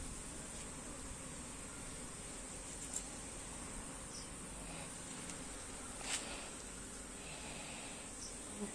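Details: Honey bees buzz around combs being transferred to another hive box; a continuous low droning hum, a steady high-pitched whine overhead, and a few brief clicks and knocks.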